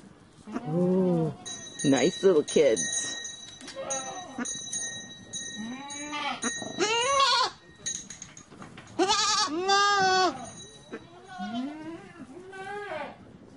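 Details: Goats giving repeated quavering bleats, some short and some drawn out, rising then falling, overlapping at times, with a steady high bell-like ringing running through the background.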